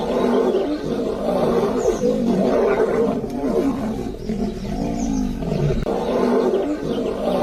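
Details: Lionesses of a South African pride raise a fierce growling chorus in defiance of the male who seized their prey. Low, rasping growls overlap and swell steadily, several voices rumbling at once without pause.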